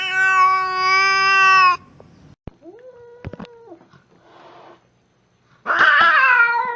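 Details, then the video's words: Angry cat: a loud, clear, sustained yowl, then a quiet stretch with a few clicks and a soft short call, ending in an abrupt, rough, high screeching cry. "Angry Cats Meowing"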